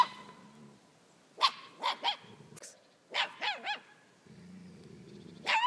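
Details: Dog fighting with other dogs, filmed on an iPhone 4S; sharp, high barks come in bursts, a triple volley and then another triple, with low growling rumbles between them and a final bark at the end.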